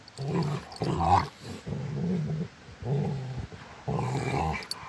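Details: Rottweilers play fighting, giving deep rumbling growls in five or six bursts of about half a second each, low and throaty with short gaps between them.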